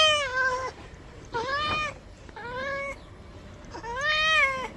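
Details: Pet cat protesting during a bath, giving four drawn-out, tonal meows that bend up and then fall, each under a second long, spaced about a second apart in a small room.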